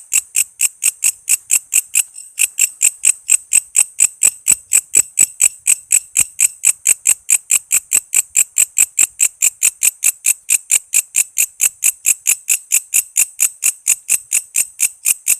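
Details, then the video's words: Walang kece, an insect whose call is used as tutor material for songbirds such as magpie-robins, lovebirds and leafbirds: steady, rapid train of sharp, high ticking pulses, about two to three each second, with no other sounds. "Suara walang kece gacor"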